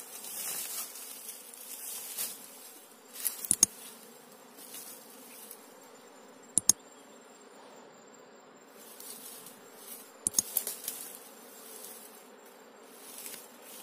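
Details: Asian honey bees (Apis cerana) being moved from the wild into a queen trap during the rainy season; a steady high buzzing hum of many bees throughout, with a few sharp clicks and knocks.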